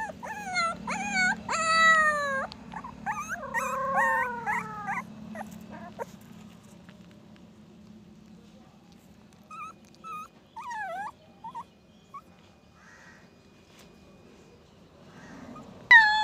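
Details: Puppy giving a run of high, wavering whimpers and short howls over the first six seconds, then only faint, sparse squeaks with long quiet gaps.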